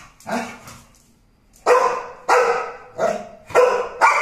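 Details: American Pit Bull Terrier giving a couple of softer barks, then a second-long pause, then four loud, rough barks in quick succession, roughly every half-second to two-thirds of a second.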